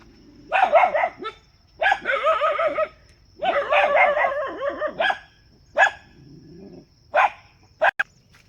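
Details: A dog barks in long, harsh, bursting volleys, each lasting about a second, followed by shorter single barks and a few quick sharp ones, with a faint steady high tone behind.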